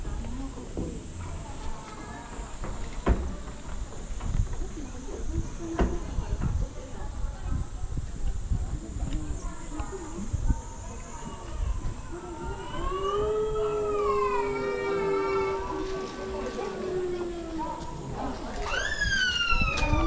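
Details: Captive gray wolf at Asahiyama Zoo in Asahikawa, Hokkaido, Japan, in the wolf forest exhibit. A long, smooth, steady howl begins about midway and holds level for several seconds, then a second, rising howl starts near the end, over crowd murmur and speech.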